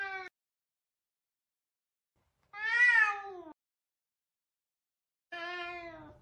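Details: Savannah cat named Sabian, very talkative, meowing while trying to find another cat, Sabina; three harmonic meows, a short clipped one, a loud rising-falling call near the middle, and a longer wavering meow at the end, separated by silence.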